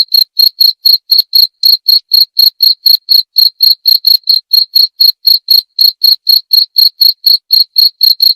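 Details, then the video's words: Cricket chirping steadily, sharp high ringing pulses repeated about four times a second in an even, unbroken series, with a faint higher overtone and no other sounds. "Suara Jangkrik"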